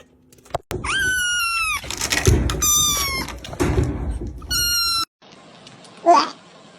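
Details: Three high, drawn-out meows from a domestic cat, each sliding slightly downward, are separated by thumps, rustling and muffled handling noise, with a brief burst of sound near the end.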